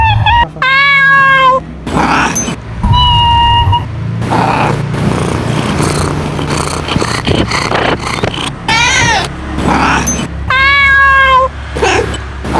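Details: Mother cat calling for her kittens with three drawn-out, clearly harmonic meows, each about a second long, steady then dipping at the end, spaced across the recording over a dense, continuous background of rumbling engine-like noise and clatter.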